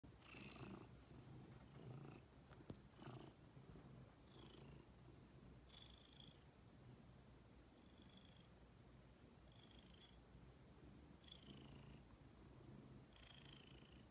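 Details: Ginger, a female pet cat, purring steadily with a low rumbling throb; short high whistled notes recur faintly every second or two, with a few soft taps near the start.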